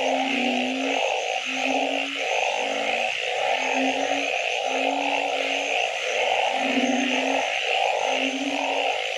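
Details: Frogs calling at night in a full chorus. Short, flat low hums repeat every second or so beneath blocky mid-pitched pulses that stop and start, with a steady high wash behind them.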